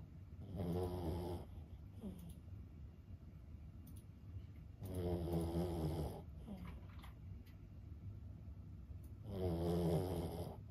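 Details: Snoring of an elderly 15-year-old Boston Terrier dozing. Three deep, grating snores come roughly every four seconds, each lasting about a second, with soft nasal breaths in between.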